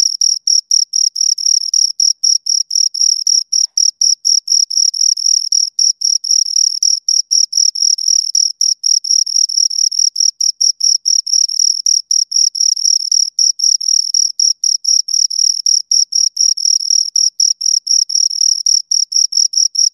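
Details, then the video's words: Two crickets keep up a continuous, piercing chirping, rapid high pulses running nearly unbroken for twenty seconds, their rhythms overlapping into a dense trill; no other sound. "Two Crickets Chirp Sounds"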